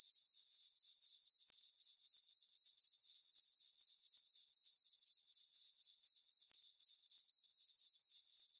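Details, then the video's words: On a farm meadow beneath a full moon, crickets chirp through a peaceful summer night, a bright, high, ringing trill beating in steady pulses about four each second. "Cricket chirping sounds for sleeping"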